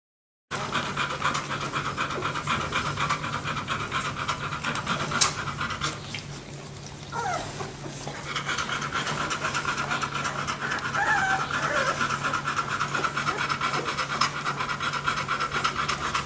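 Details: Two-week-old puppies from Crystal and Yale's litter panting in rapid, steady breaths, about two per second. The dense breathy rasps pause briefly near the middle and then resume over a constant low electrical hum.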